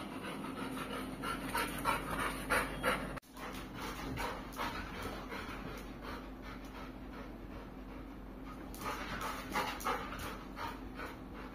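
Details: Pet Labrador Retriever named Kulfie panting steadily, rapid rhythmic huffs roughly three per second over nearly twelve seconds, with a brief break partway through, after a person has chanted "food" repeatedly; quiet indoor hum underneath.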